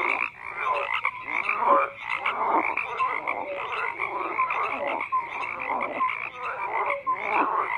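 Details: A chorus of frogs croaking, layered raspy pulses and short tonal chirps overlapping constantly, with swelling bursts of louder calling every second or two.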